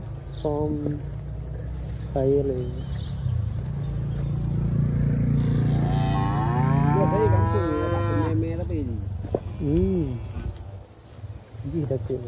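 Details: Calf, a tame and affectionate young cow kept close to its owner in a village, gives a long rising-and-falling moo near the middle, with shorter harmonic calls before and after and a steady low rumble underneath.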